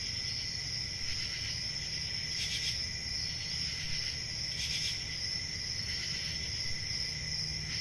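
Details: Continuous shrill cricket chorus holding a steady high ringing tone, with two pronounced louder pulses of chirping near the middle and a constant low background hum.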